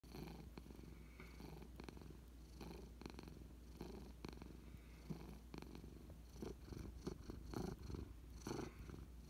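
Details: Nebelung cat purring, a steady low rumbling throb pulsing in rapid breaths throughout, close up indoors, with faint rustling.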